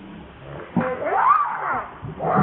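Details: ['Baby monkey named Lucie gives a single arching, harmonic wail that climbs and then falls over about half a second. Rustling and low handling noise sit underneath, with another call starting at the very end.']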